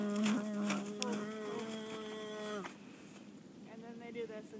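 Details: Horse on a farm making upper respiratory noise heard after exercise, stress or eating, possibly from botulism: a steady, buzzing drone rich in overtones holds for about two and a half seconds, then drops away, followed by fainter tonal breaths.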